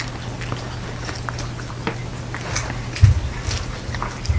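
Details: Chewing by Jeongsaek, a house cat in hanbok eating a New Year 'cat mandu soup': sparse crisp clicks and licks, a few louder low thumps near the end, constant low hum behind.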